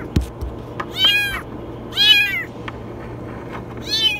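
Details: Kitten stuck inside a washing machine gives very high, strained meows, three loud harmonic-rich calls spaced about a second apart, each bending down at the end, over a steady low hum.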